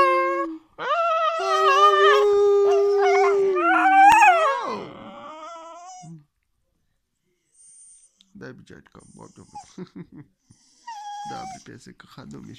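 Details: A Cocker Spaniel "sings," giving a long, steady howl that swoops up and then slides down, followed by human speech.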